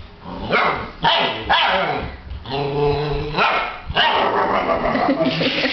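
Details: Alaskan Malamute puppy litter, 8 weeks old, as a man vocalises with them: sharp yips and barks in bursts around a drawn-out wavering howl-like tone, with human voices mixed in.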